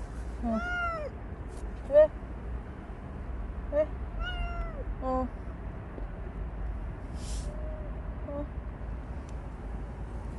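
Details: Bolt, a stray cat that stayed close for a year and five months, utters arched meows that rise and fall, spaced several seconds apart with quieter chirps between, in a low steady hum.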